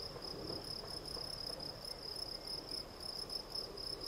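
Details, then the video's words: Close, loud Gryllus campestris song: a bright single-pitched trill broken into quick regular chirps, several per second, over a light murmur of outdoor background noise. "Field Cricket - Gryllus campestris"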